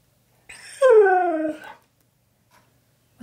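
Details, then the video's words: Happy pet Husky indoors, being asked about his favourite thing and his best friend, answers with one clear, tonal whining howl about a second long, starting higher and gliding steadily downward, then silence. "Giving My Husky ALL Of His Favourite Things! He’s So Happy!"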